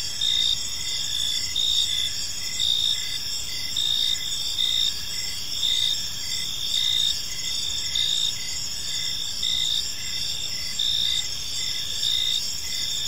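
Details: Evening in a quiet park, a chorus of crickets gives continuous shrill chirping, short bright pulses repeating against a sustained high buzz, with faint low ambient noise underneath.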